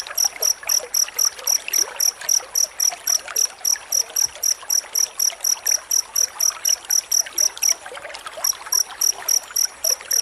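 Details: . Cricket chirping in a rapid, dense series used as a training track for magpie-robins, each short pulse sharp and high-pitched, about four per second, over a faint trickling water-like background.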